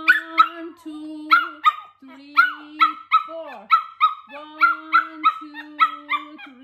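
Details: Male Pomeranian at home reacting to its owner's home workout with rapid, repeated high-pitched yaps, about three per second, mixed with drawn-out whiny tones between bursts.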